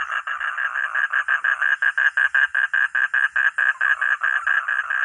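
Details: Frog or toad giving a steady series of short nasal pulses, about four per second, evenly spaced and clear against a quiet background.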